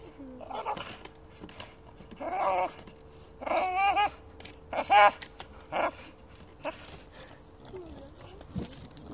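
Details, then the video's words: Female bulldog playing with fallen trees in a wood, making a funny noise: short harmonic whining grunts and squeaky bursts in scattered clusters, with a faint steady hum underneath and a few rustling clicks. "Bulldog plays in the Wood, funny noise"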